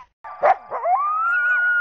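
A coyote gives a sharp, rough bark, then slides up into a clear, steady howl held for about a second.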